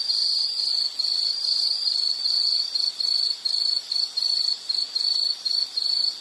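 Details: Insect chirping from a nature sounds recording for study and sleep: high, shrill pulsed trills repeated steadily about once a second with brief gaps, over a faint hiss; no other clear sounds.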